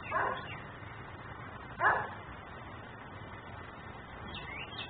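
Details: Dog left outside in Mecklenburg, a neighbourhood nuisance barker filmed by a fixed camera; two short harsh barks about two seconds apart, then quiet with steady background hiss and faint bird chirps.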